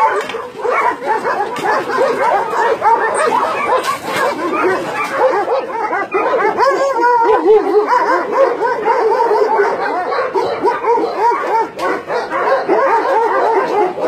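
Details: Dogs at a meat farm and puppy mill in Nonsan, South Korea, January 2017, about 150 dogs including Doberman, Shar Pei, Chow Chow and Golden Retriever. Many dogs bark and yelp at once in a dense, unbroken, overlapping din throughout.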